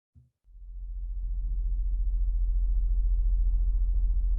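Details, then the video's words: Blue whale song: a deep, rumbling drone swells in after a pause and pulses rapidly and evenly. "now I'll play the song of the blue whales that I feel represents the heartbeat of Gaia. So"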